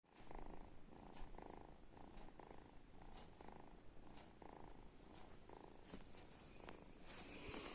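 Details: Kitten snoring as if singing: soft, rhythmic purring bursts of about half a second each, separated by short pauses, over a steady low rumble, with faint scattered clicks above.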